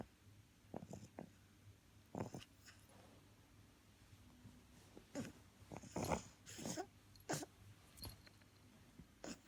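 An English Bulldog puppy snores and snuffles in short, irregular bursts of rough, breathy noise.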